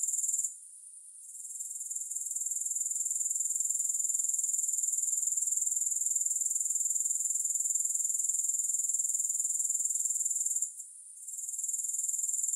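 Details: Sustained very high, rapidly pulsing grasshopper sound with no music, pausing briefly near the start and again near the end, otherwise an unchanging even trill.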